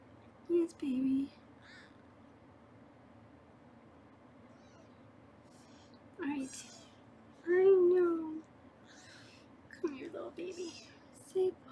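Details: Foster kittens being weighed on a live kitten cam in Los Angeles, giving several high, arching, harmonic-rich meows in the second half, with a woman's voice talking low beneath them and short earlier vocal bursts.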